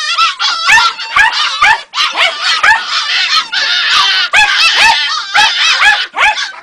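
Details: Ega, a Jagdterrier pup of two and a half months, lets out a dense, rapid stream of shrill, quavering yips and whines with barely any pause between them.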